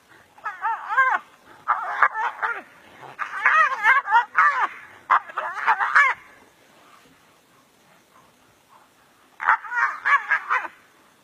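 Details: Two brown hyenas locked in a serious fight in the African bush, giving bursts of harsh, wavering squeals and yelps that rise and fall in pitch, clustered in rapid runs, then a pause before another burst.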